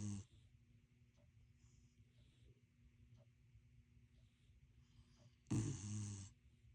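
A sleeping corgi snores with a low, steady rumble, broken by one louder, breathy snort near the end.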